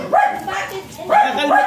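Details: At a stud service in Aringay, La Union, a white Thai import line Pomeranian lets out two pairs of sharp high yips with quiet gaps between them.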